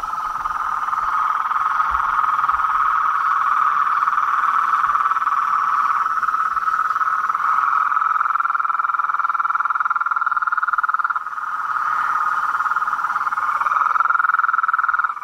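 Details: Frogs, toads and a treefrog in a natural setting form a loud, unbroken buzzing trill chorus that holds at an even pitch, dips briefly near the eleventh second, then swells again.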